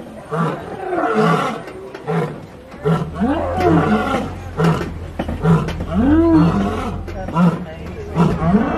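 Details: A lion at the Kilimanjaro Safaris in Disney World's Animal Kingdom, recorded from a moving safari truck, roars in a series of deep, rising-and-falling moaning grunts over a steady low hum.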